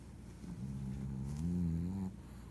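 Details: Pugzou the pug snoring: a low, droning hum with stacked tones holds for about a second and a half, swelling slightly louder near its end before stopping, over faint room background.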